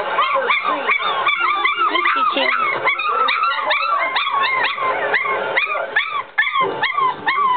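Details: A litter of three-week-old puppies whining and yipping at once, a busy chorus of short rising-and-falling squeals repeating rapidly, with a brief lull near the end before the crying resumes.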